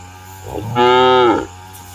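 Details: A roaming cow in village fields moos to summon companions home to the shed: one full, harmonic, level moo of roughly a second, rising in and fading out smoothly against a low steady hum.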